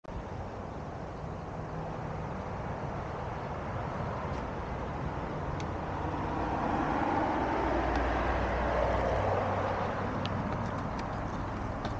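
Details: Steady roar of road traffic with passing vehicles throughout, no animal voice heard.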